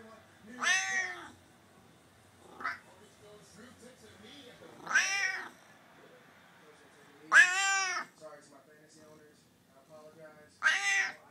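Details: F4 Savannah tomcat of about 16 lbs using his frequent talking meow as a greeting and bid for attention; four drawn-out, bending, harmonic meows with a brief chirp between the first two, in an otherwise quiet room.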